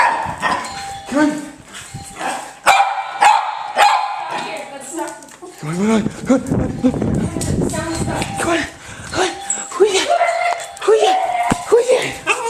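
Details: Dogs in a home go wild over a doorbell sound played from a computer: dense, overlapping barks and yelps build in the middle, with faint chime tones and cheerful human voices throughout.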